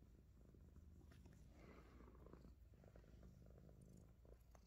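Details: A Himalayan Persian cat purrs continuously while chewing on fingers; the low rumble holds steady across the whole clip, with faint clicks and soft handling sounds above it.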